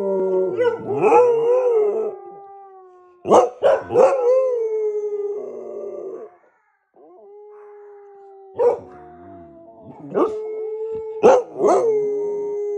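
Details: Dogs howling before going to bed, possibly a pit bull and a labrador: long sustained mid-pitched howls with wavering tones, broken by short sharp yelping bursts and a brief silent gap midway.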